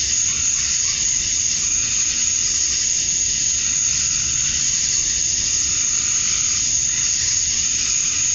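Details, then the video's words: Male cicadas at summer dusk in Georgia, USA, singing for females: a loud, rasping high chorus like steady steam, pulsing slightly while a thin piercing tone runs unbroken over it. "Cicadas at Dusk, Summer Night"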